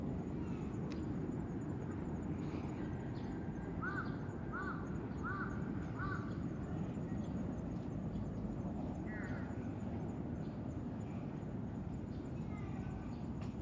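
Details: Tortoiseshell kitten, meeting a person for the first time and letting itself be handled freely, gives four short harmonic mews about a second apart, then one higher mew after a pause, over steady broadband outdoor noise.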